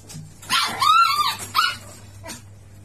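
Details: Miniature Pinscher, a lively pet dog, giving two high tonal yelping whines that arch up and fall, the first longer, followed by a short faint yip; steady low hum underneath.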